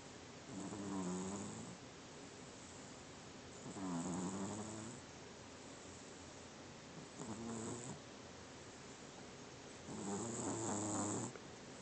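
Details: Sleeping domestic cat snoring, four raspy breaths roughly every three seconds, each about a second long with a buzzy low rattle and a breathy hiss, quiet pauses between.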